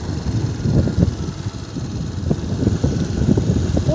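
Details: Loud, low idling engine rumble with a faint murmur of voices, with no animal sound heard.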